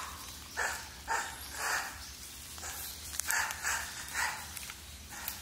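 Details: Japanese macaques of the wild troop of about 350 at Awajishima Monkey Center, Sumoto, Hyogo, Japan, filmed 18 February 2024 with infants Miu and Konatsu; short tonal calls repeat roughly every half second over steady background hiss.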